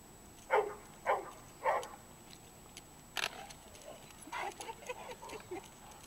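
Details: Nikki, a Great Dane available for adoption, playing with Duke: three short, harsh, grunting barks about half a second apart, followed by a loud click and a run of softer huffs and scuffling noises.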